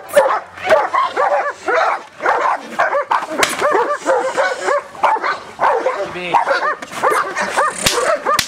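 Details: Giant Schnauzer yelping and barking in rapid arched bursts that rise and fall in pitch, coming in clustered runs separated by brief dips, with a human voice audible at times.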